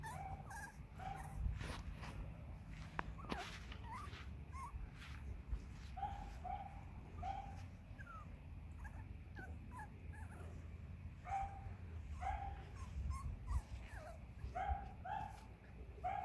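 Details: Seven-week-old Cavalier King Charles Spaniel puppies from one litter give a run of thin whines, squeaks and small yips, several voices overlapping, over a low, steady background rumble.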